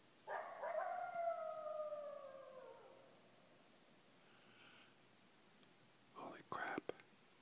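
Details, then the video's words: Coyote at full moon right outside a house window: one long harmonic howl starting high and sliding slowly downward over about two and a half seconds, then quiet, followed by a few sharp knocks or clicks near the end; faint steady high tone throughout. "Full moon coyote"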